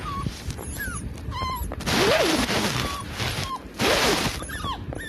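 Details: Forty-five-day-old puppy Loki humming: two soft moans that rise and then fall, one near the second second and one near the fourth, over steady background chirping and twittering of birds.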